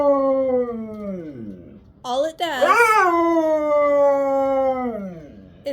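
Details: Siberian Husky screaming on a Sunday morning, first a falling wail that drops off, then a burst of rough, wobbling yodel-like notes flowing into a long, level howl sinking at the finish.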